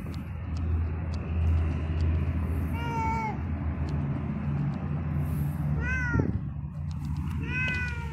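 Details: Friendly yellow pregnant stray cat following a person early in the morning, giving three clear meows several seconds apart, each rising then falling, over a steady low rumble of traffic outdoors.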